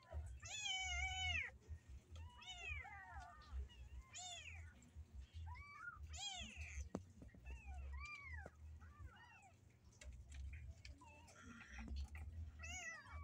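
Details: Kittens shut in a cage cry to get out: clear, bent meows repeated roughly every second, some higher and squeakier than others, over a steady low hum and occasional knocks.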